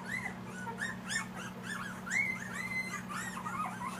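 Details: Two-week-old Siberian Husky puppies, a litter of eight in Panama, whining continuously in rising-and-falling arched whimpers, several pups overlapping, with a constant low hum underneath.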